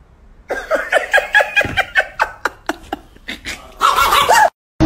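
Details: Chihuahua in an indoor room giving a quick series of high yapping barks, about a dozen in a few seconds, then a louder drawn-out whining vocal near the end, with a person's voice in the background.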